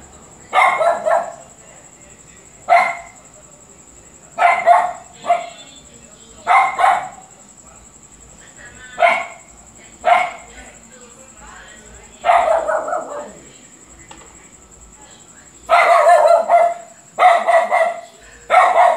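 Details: Luphe the dog barking repeatedly: single harsh barks and doubled ones come every one to two seconds, with a denser run of three quick barks near the end. A steady high electronic whine sounds throughout.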